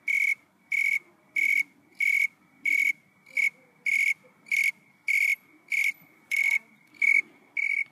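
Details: A tree cricket, shy and tiny, sings from tobacco plant (Nicotiana sylvestris) leaves in Santa Barbara, California, in August 2020: steady, clear chirps, each a short pure-toned burst repeated about every two-thirds of a second.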